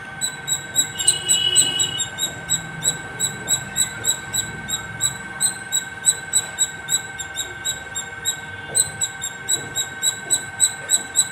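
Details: Squirrel on a terrace top chirping without pause, bright squeaky notes about three per second, joined briefly near the start by a rougher chattering burst, over a steady electrical hum.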